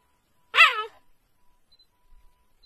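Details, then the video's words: Cheetah giving a single sharp high-pitched chirp-like call, rising then falling with rich harmonics, lasting under half a second, followed by near silence with faint clicks. "Is the cheetah hiccuping?"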